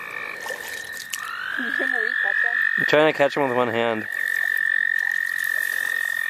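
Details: Frogs calling at the St. Olaf College Natural Lands during frog catching: a sustained high trill runs throughout, joined midway by a burst of rapid, harsh, rattling croaks lasting about a second, with softer wavering calls before it.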